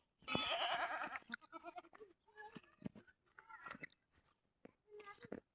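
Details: Goat in a village setting giving one loud, wavering, harmonic bleat lasting about a second, followed by scattered short knocks, clicks and faint voices.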